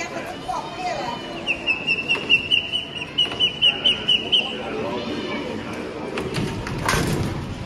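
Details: Domestic cat giving a fast series of short, high chirps, about a dozen clipped notes repeated rapidly over three seconds, with a person talking before and after and a soft thump near the end.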